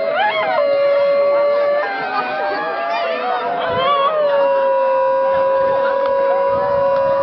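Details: Basenji yodelling at the Swedish Basenji Specialty 2011, set off by a harmonica, during a contest to pick the yodel champion: a long, steady, wavering howl-like tone with warbling breaks in the middle, the harmonica's notes blending in.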